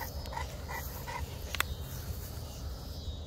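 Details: French Bulldog playing with a French Mastiff, one of them giving short, soft whimpering yelps repeated about every 0.4 seconds, with a low steady rumble of background noise underneath.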